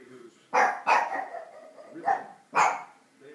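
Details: Angry pug reacting to noisy neighbours, giving three loud, sharp barks spaced about half a second to a second apart, with low grumbling between them.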